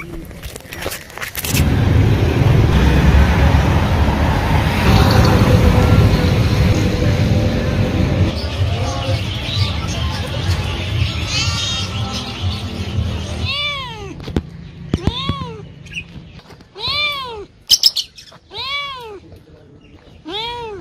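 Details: Cat in a compilation of meowing cats and kittens: after about thirteen seconds of traffic-like rumble and voices, a run of clear, mid-pitched, arching meows repeats roughly once a second, with a few clicks between them.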